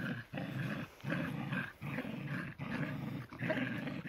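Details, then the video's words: Tricolor shelties Cherry and Sammy growl while pulling in a tug of war, heavier Cherry against lighter Sammy; throaty growls come in surges of roughly one second, separated by brief gaps. "tricolor shelties in a tug of war. Shelties Cherry&Sammy playing"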